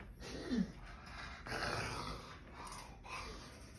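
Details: Bulldog making golem-like noises while scratching his back: throaty, rasping groans and grunts in three drawn-out bursts of about a second each, with a low rumble and soft breathing between them, indoors.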